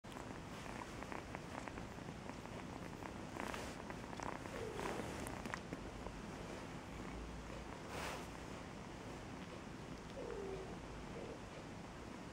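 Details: Affectionate cat purring: a steady, low rumbling pulse runs through the whole stretch, with a few soft rustles and brief higher clicks on top.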